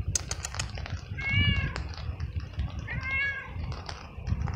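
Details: Stray, feral cat on the street, scared, cold, wet and hungry, following a person in the rain and meowing very loudly: two drawn-out, wavering meows about two seconds apart over steady patter of rain.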